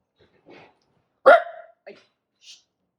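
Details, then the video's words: Tiny, a 13-year-old senior dog with a heart murmur, barks loudly during a hair-standing-up moment on 7/9/23: one sharp, loud bark midway, framed by soft faint yips and short quiet sounds before and after. "[Loud Barking] Hair standing up moment"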